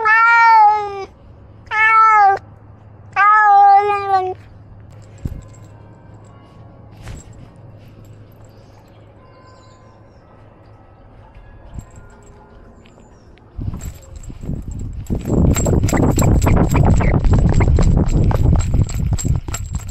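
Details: Male cat wearing a camera that records his outings; three loud, drawn-out meows in the first four seconds, then quiet rustling, followed by loud broadband scraping and rustling noise in the final six seconds.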